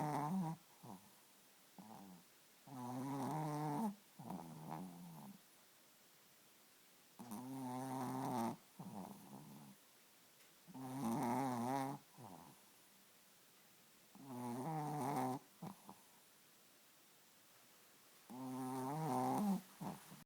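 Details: Sleeping Chihuahua snoring, rough nasal rumbles about a second long, each followed by a shorter wheezy breath, repeating roughly every four seconds in a quiet room.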